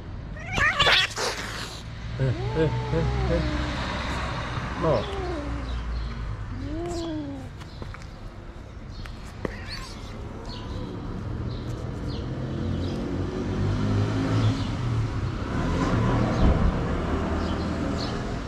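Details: Street fight in Morocco as stray calico cats beat a kitten: three quick wavering yowls in the first seconds, then human voices and steady low traffic-like rumble take over for the rest.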